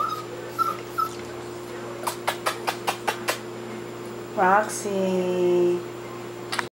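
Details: A new family dog playing with toys indoors gives a sharp, falling bark, followed by a drawn-out tonal whine. Before the bark comes a run of evenly spaced clicks, then a person speaks briefly. A steady hum runs throughout.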